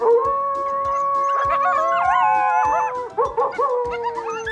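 Several coyotes howl together, their long sliding notes overlapping and bending up and down, with sharp yipping bursts partway through. A steady rhythmic beat, like background music, runs underneath.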